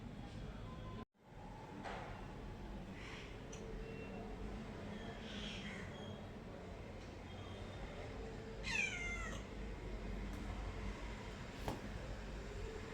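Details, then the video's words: Pet cat producing a single short meow with a falling tone near the end, against steady low household background noise. "my cat original sound and reaction"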